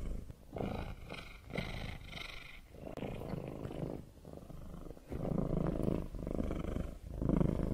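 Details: Cat purring in a deep vibrating rumble, uneven in loudness, with breath breaks about every second and some faint higher rustling early on.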